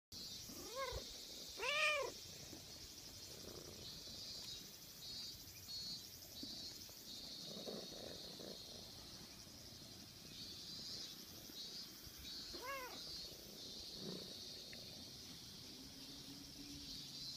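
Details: Silver tabby kitten rubbing itself against a leg again and again: a pair of short, high, rising meows early on, another brief meow near thirteen seconds, otherwise quiet with a faint steady hiss.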